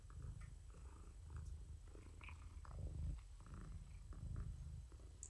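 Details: Morticia, a domestic cat rescued through Purrfect Pals, purring indoors in the evening while being petted and giving kitty therapy. Deep rumbling purr in steady pulses roughly every three-quarters of a second, with faint rustles over it.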